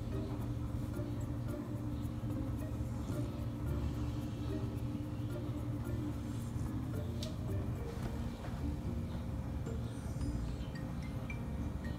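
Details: Soft music over a low, steady hum, with faint clinks and traffic-like rumble in the background.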